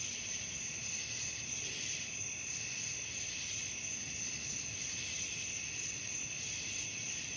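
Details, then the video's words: Night crickets in a continuous shrill chorus, several high trilling bands holding steady throughout with faint pulsing, and no other distinct sounds. "suara jangkrik malam"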